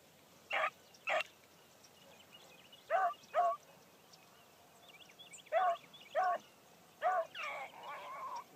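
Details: Morning hunt: Bee, a Blackcreek female hound on her first run, barks in spaced pairs of short honking chops, while small birds chirp lightly in the background.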